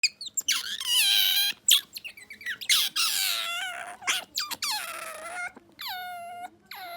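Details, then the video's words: Bingo, a pet otter, kept indoors, making a newly learned squeaking call, described as "gyururururu": harmonic-rich squeals that drop and level off, repeated in bursts separated by short gaps, with faint room hum beneath. "Brand new squeaking sound by Bingo the otter"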